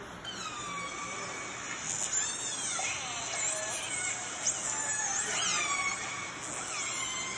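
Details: Recorded clan A calls of the fish-eating Northern Resident killer whales, played at a whale museum in Telegraph Cove: squealing, harmonic tones that sweep up and down, repeating in quick succession.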